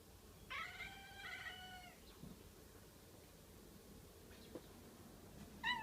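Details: A domestic cat meowing at a window at something outside: a long drawn-out harmonic meow of about a second and a half, then quiet, with a short sharp call starting at the very end.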